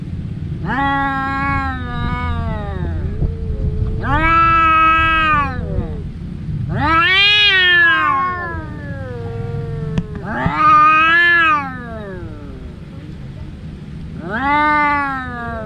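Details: Two brother cats fighting, as they do every day: five long harmonic yowls, each two seconds or so, arching up and down with pauses between, over low rumbling background noise.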